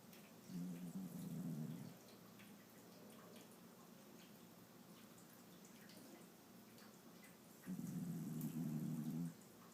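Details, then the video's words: Yuki, a Shiba Inu, snores while asleep, two soft, low growly breaths roughly six seconds apart, separated by faint steady background hiss. "Snoring Yuki"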